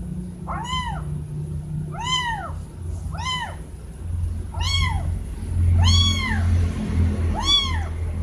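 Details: Two kittens meowing very loudly to their mother, wanting food or attention: six loud, arched meows with rich harmonics, each about half a second long and spaced roughly a second apart, over a steady low rumbling hum.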